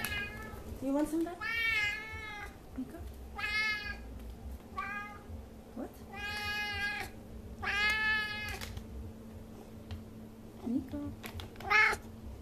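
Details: Niko, a pet F6 Savannah cat, indoors, giving a run of harmonic meows, several rising then falling, about one every second or two, with a low steady hum underneath and a woman's voice speaking briefly.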